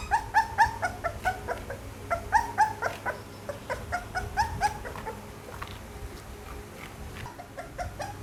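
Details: Pit Bull puppy whimpering in short, thin, upward-bending squeaks, a cluster of cries over the first five seconds then fading to quiet, with a low hum underneath.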